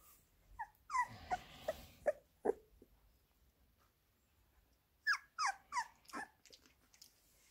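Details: Labrador Retriever puppies getting minced beef: two bursts of high, squeaky whines, each sliding downward, about five notes in the first second and four more after a silent gap.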